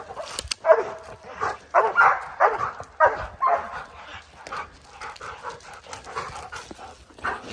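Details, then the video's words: A pack of four Oorang Airedale Terriers keeps a black bear up a tree on a mountain trail in early spring; loud separate barks at first, then softer, more scattered yips and barks. "Airedale Terriers (4) tree a Black Bear"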